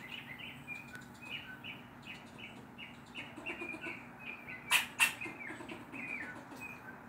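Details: A neighbourhood squirrel barks in quick, repeated chips, scolding a black adopted former stray cat it dislikes.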